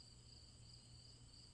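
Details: Crickets keep up a repetitive high, ringing trill with pulsing chirps at an even pace, while a low hum and faint rumble sit underneath.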